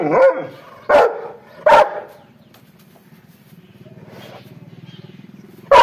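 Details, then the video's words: Three loud, harsh barks from an angry dog in the first two seconds, followed by a low steady hum and a final bark at the close. "angry dog barking sound"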